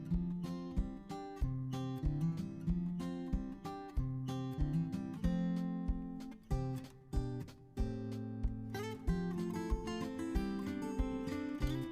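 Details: Acoustic guitar music is played in a strummed, rhythmic pattern, and no animal sounds are heard.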